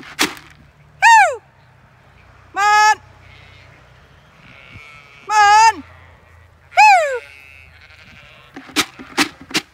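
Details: Zwartbles ewes in a flock gathered under a lime tree on a regenerative farm in County Kilkenny, Ireland, are called in by the farmer. They give four loud, wavering, harmonic-rich bleats a second or two apart, followed by sharp clicks and knocks.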